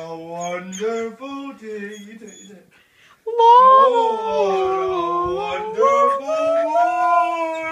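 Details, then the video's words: Samoyed indoors howling along to an advert song it always attends to: wavering, tuneful howls that rise and fall in pitch, a stretch of short notes, a brief silence, then a long, louder sustained howl. "Ziggy the samoyed singing"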